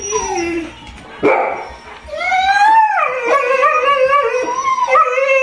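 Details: Household dogs howl in a coyote-style group chorus, with Trigger the Golden Retriever and Spencer the Irish Setter among them. A short bark interrupts before a long, rising then gently falling howl with several stacked voices holds to the end.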